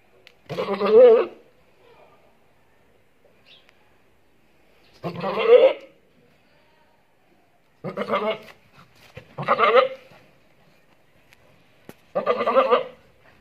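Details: Samsoum, a Boer goat hybrid, gives five loud, quavering, harmonic-rich bleats, each under a second long, separated by quiet gaps of one to four seconds with only faint background sound.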